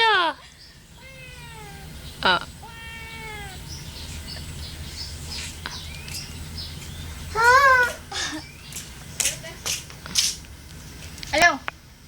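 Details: Pet cat giving several drawn-out, falling meows early on, then a louder wavering meow near eight seconds, with people talking and background music throughout.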